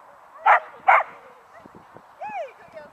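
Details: Young Sussex Spaniel x Working Cocker cross, 19 months old, competing in a beginners agility class at a Halloween dog show on 26 October 2013; two sharp, loud barks in quick succession, followed by people talking nearby.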